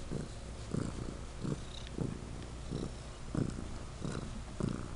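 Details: Legend the pet cat purrs loudly, the low rumble swelling and fading in rhythmic pulses roughly every three quarters of a second.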